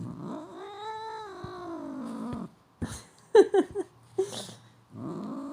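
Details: Cat (Felis catus), meow: greeting, saying goodbye when prompted by its owner.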